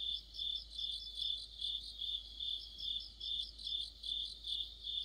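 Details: Crickets and other insects in an autumn chorus beside a streetlight: a steady high chirping band, pulsing about two and a half times per second, with finer rapid trills layered above.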